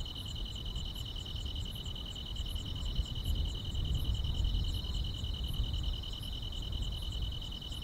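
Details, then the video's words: Summer-night grass insects keep up a continuous piercing trill, with soft rhythmic high ticks repeating a little over twice a second and a low murmur of background noise. "여름밤의 포근한 풀벌레 소리"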